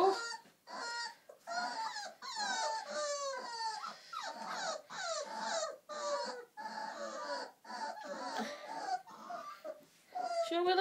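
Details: Several four-week-old Old English Sheepdog puppies, Millie's litter, whimpering and whining together in overlapping bursts of high, wavering, downward-sliding cries, with short gaps between outbursts.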